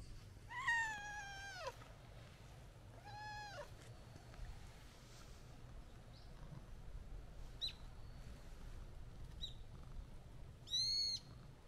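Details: Friendly white-and-orange street cat meowing while walking up, seeking attention: two drawn-out harmonic meows near the start, then a short high chirp-like mew near the end, with light background hum.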